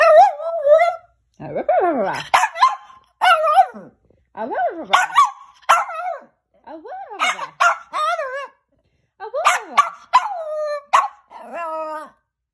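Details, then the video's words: Rocco, a pet Chihuahua coaxed to vocalize, alternates short piercing yaps with warbling, wavering howl-like whines that swoop up and down, in irregular bursts separated by brief pauses. "Chihuahua Barking"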